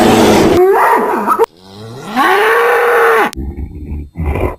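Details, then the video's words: Angry bull bellowing in a pasture: loud, tonal moos that bend and waver, then one long drawn-out call rising and holding steady before cutting off, followed by shorter, rougher calls. "BOI BERRANDO BRAVO – BOI BERRANDO NO PASTO - SOM DE TOURO BRAVO"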